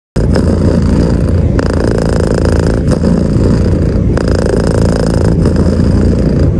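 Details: Domestic cat purring loudly while being stroked under the bed covers, a close-up sleep-aid recording; a steady low rumbling purr broken by short pauses roughly every one to two seconds, with no other sounds.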